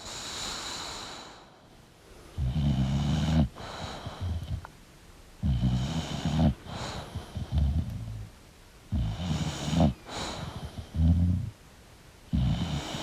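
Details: Deep, rhythmic snores from a sleeping English bulldog, about five rumbling, rattly breaths with brief gaps between them, some ending in a snorting catch.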